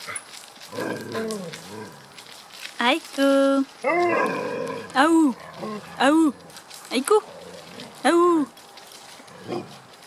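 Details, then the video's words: A bunch of dogs recorded on 28 July 2014, giving loud, short, arched yelping barks with one held whine-like tone, coming irregularly about once a second, with people talking in the background. "Un tas de chien"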